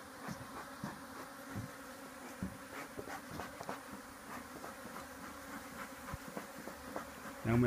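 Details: Hive of Africanized honey bees being cut out from beneath a patio deck in Texas: an unbroken, even buzzing drone from the colony, dotted with light taps and clicks, ending in a louder knock.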